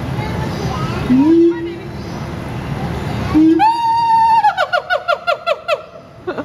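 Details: Siamang apes at Riverbanks Zoo in Columbia, South Carolina, very loud one morning and yelling at each other: after murky rumbling, clear ringing hoots rise into a rapid series of repeated, falling loud barks.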